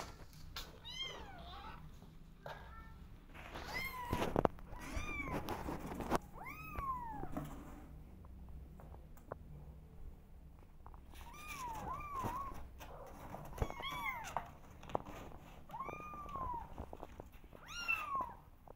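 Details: Kittens wanting to go outside and explore, meowing: high, arching harmonic meows scattered through the clip, several in quick clusters, over steady low room noise with a few sharp knocks.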